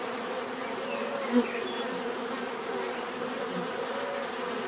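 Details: Bees buzzing in a steady, dense drone with layered hum bands from low to mid pitch, a faint high whine running throughout and one brief louder tap near the middle.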